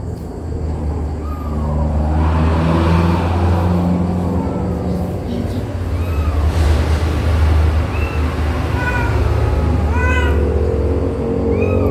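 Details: Mother cat of four kittens, two already moved below, going back for the next one. Repeated short, high, arched mews, several clustered near ten seconds, over speech and a constant low hum.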